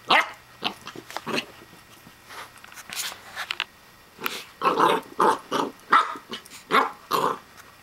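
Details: A Corgi puppy barks at a plastic hedgehog toy, giving sharp, high, yappy barks in quick bursts while a person talks nearby.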